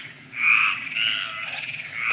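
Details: Mediterranean tree frogs calling at night in the Landes forest of Aquitaine, France, give drawn-out, raspy croaks about half a second long, repeated at roughly one-second intervals over a faint background hum; a nightingale is heard nearby.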